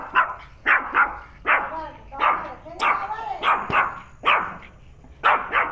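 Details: Pet dog named Penny barking at a turtle placed near her indoors: short sharp barks in quick pairs and singles, about a dozen in under six seconds, with a person talking softly in between.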